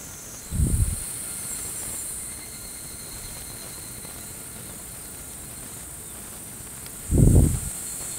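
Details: An evening cicada (higurashi) sings a high, shrill, steady ringing tone, broken by two dull low thumps, in the evening in the Tokyo area of Japan, 22 July 2020.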